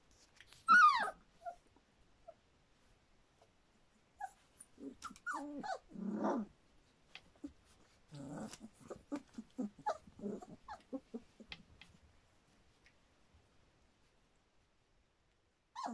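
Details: Litter of Standard Poodle pups, about three weeks and three days old: a sharp high squeal opens, then bursts of overlapping low grumbles and squeaky whines from several puppies, fading to near silence before a final squeak.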